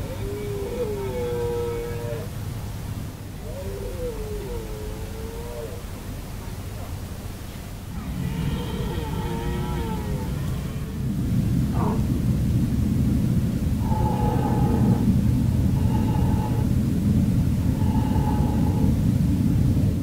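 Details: Rutting red deer stags at Hoge Veluwe in 2017 give repeated wavering, harmonic-rich roars, several in a row, then shorter evenly spaced moaning calls about every two seconds, with rising low rumble in the background.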